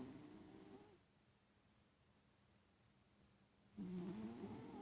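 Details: {'caption': 'Domestic cat sleeping and snoring indoors: a soft, raspy nasal rumble, then near silence for almost three seconds, then another louder wavering snore breath.'}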